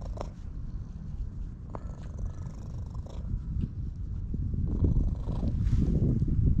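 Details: Stray ginger tabby cat in a park, petted and purring at high volume, filmed with a GoPro HERO8. A deep, rapid, throbbing purr swells louder toward the end, with a few light clicks of handling.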